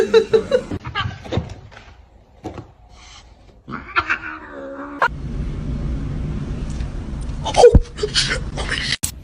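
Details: A cat gives one drawn-out, wavering yowl lasting about a second, rising and bending in pitch. Laughter, scattered speech and clattering noises surround it, with a steady low rumble toward the end.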